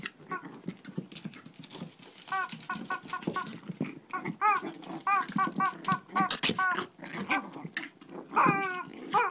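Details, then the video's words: Mini fight between Shih Tzu dogs in Kochi, Japan, with a dense stream of rough growling under clusters of sharp, bent yelps, ending in a louder whining squeal. "Shih Tzu kochi japan new [mini] fight !"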